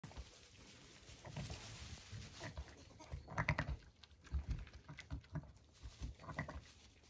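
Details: Zwartbles ewe on a regenerative farm in County Kilkenny, Ireland, with two ram lambs born at 6am, making soft, low, throaty mutterings in short irregular bursts, with quiet rustling and shuffling in between.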